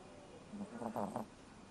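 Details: Dog snoring while fast asleep: a short run of rough, pulsing snorts lasting under a second, in a quiet room with steady background hiss.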